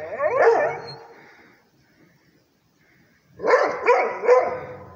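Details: A Rhodesian Ridgeback barks at a tablet. A strained, rising-falling bark opens the clip. Near-silence follows, then a quick run of three sharp barks.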